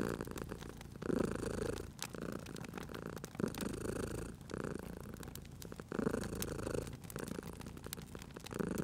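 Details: Domestic cat purring while asleep near a crackling hearth; short rumbling purr phases repeat about every second or so, layered under constant snapping and popping of the fire.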